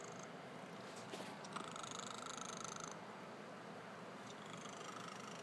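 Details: Sleeping pet cat snoring, one long raspy pulsing breath of about a second and a half rising out of a low continuous rumble, indoors and otherwise quiet.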